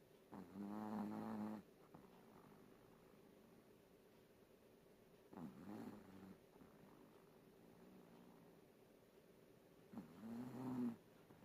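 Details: A napping Chihuahua snores in a quiet room: three nasal, buzzing snores about a second long, near the start, middle and end, with faint breathing between them.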